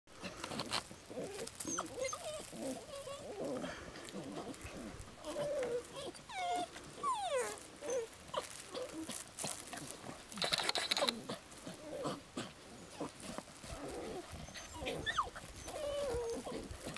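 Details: A litter of young puppies whimpers and whines, with squeaky, wavering cries that rise and fall, overlapping from several pups, amid rustling, shuffling movement and a faint voice.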